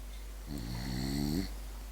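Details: A sleeping French bulldog gives a single rasping snore lasting about a second, its buzzy tone rising slightly in pitch before fading, over a low steady background hum indoors.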